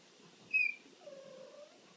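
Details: Kitten about five weeks old, one of a litter playing and trying to reach a cat toy: a short, high, thin squeak-like meow, then a longer, lower, steady mewing tone lasting under a second. The room is otherwise quiet.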